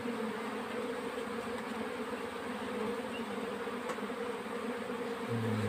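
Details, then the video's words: Honey bees in a summer nectar flow, a constant layered buzz of many insects, with a deeper rumbling tone entering at the very end. "Honey bees During Nectar Flow"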